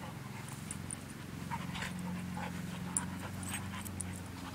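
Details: Two dogs, an Australian Shepherd mix and a Belgian Malinois mix, at play; quick breathy pants come about three per second over a steady low mechanical hum.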